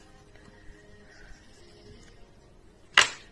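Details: Soft background music with faint sustained tones, ending in one sharp, loud impact near the close.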